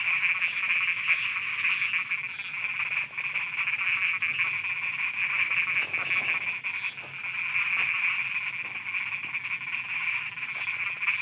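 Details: Thai night soundscape of many frogs croaking together. A constant high-pitched trilling wall of sound swells and dips, broken by short rapid pulses and a faint regular ticking above.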